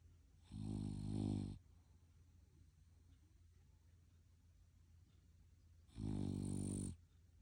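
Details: Sleeping French Bulldog snoring indoors: two long, deep, rumbling snores about a second each, one near the start and one near the end, separated by quiet breathing-level background.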